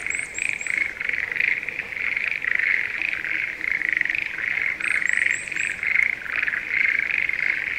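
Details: Chorus of Schlegel's green tree frogs at breeding time in spring paddies outside Sendai, Japan: steady overlapping bursts of rattling pulses, with short high rising chirps at the start and near the middle.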